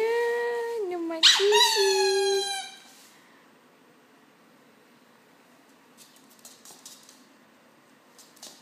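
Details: Nine-week-old Norwich Terrier puppy howling indoors: a long tonal howl that dips slightly in pitch, then a higher wavering howl that breaks off before three seconds, followed by near silence with faint clicks and a brief noise at the end.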